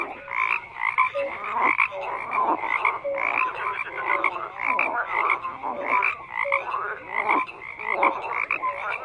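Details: Croaking frogs fill the recording with rhythmic bursts of rattling pulses and clear short notes, swelling about once a second in a busy, steady chorus with no other noises.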